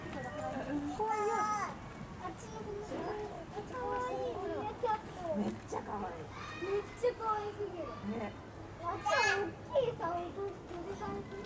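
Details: White-handed gibbon family in captivity at Hamura zoo, Japan, giving a string of short bent tonal notes, some rising and some falling, closely spaced with brief pauses and a louder upward swoop near the end.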